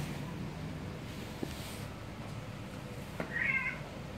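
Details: A single clear cat meow near the end is high and harmonic, rising and then falling. It follows a quiet stretch with two sharp taps over a low background hum.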